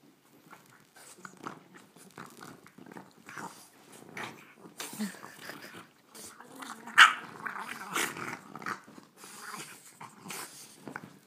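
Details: Indoor play between dogs Lily and Murphy, with Lily teasing a tired Murphy using her ball: grumbling growls and snorts come in short bursts, mixed with scrabbling paws and a sharp yip near the middle.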